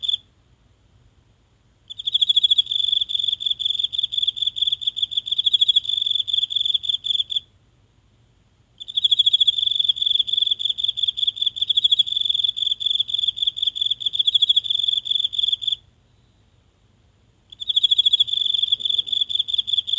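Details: A single insect calling every night from the grass of a small home garden, recorded at night on a phone held close. High, steady trilled chirping pulses in bursts of about five to seven seconds separated by short silences; quiet night otherwise.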